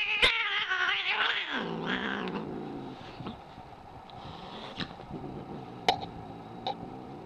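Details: An angry cat starts with a loud, strained yowl that drops sharply in pitch into a low, rumbling growl, which fades out. A few sharp clicks or taps follow in the quieter second half.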